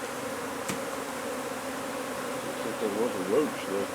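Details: Constant low buzzing from a honey bee hive being moved from under a wood pile in McAllen, Texas, with a sharp click early and a man's voice toward the end.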